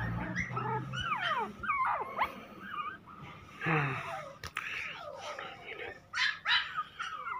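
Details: Toy Pomeranian puppies whining: high, thin whimpers that slide up and down in quick succession, mixed with people talking nearby and a sharp knock midway.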